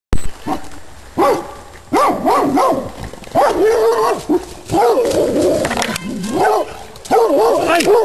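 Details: Rhodesian Ridgebacks, several dogs loose and out of control in a private garden, bark in tight bursts of two or three loud, harmonic, arching barks, separated by short pauses and building toward a near-continuous volley at the end.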